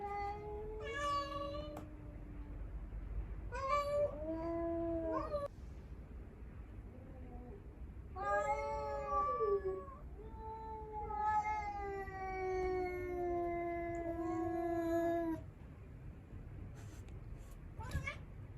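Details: Standoff with a stray cat, where the household's only male confronts the intruder; a series of varied yowls, some brief and sliding, one long drawn wail of several seconds, over a low background rumble.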